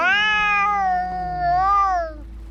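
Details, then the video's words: A single sustained, wavering cat yowl of about two seconds during a fight, steady then dipping and rising again before fading, a low moan beneath. "Som de gatos brigando"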